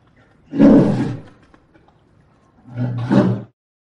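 A polar bear gives two deep, rasping growls, each lasting about a second.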